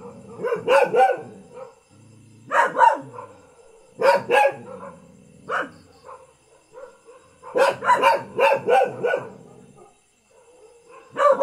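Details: A local house dog barks in irregular bursts of two to five sharp, ringing barks separated by short quiet gaps, ending with a longer fast series and one last bark.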